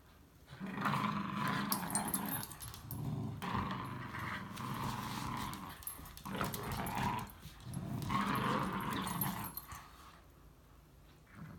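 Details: Ayasha, a timid two-year-old female Chihuahua mix at Rover Rescue weighing 12 pounds, gives low rumbling growls in several long drawn-out bouts separated by short pauses, with some rustling alongside.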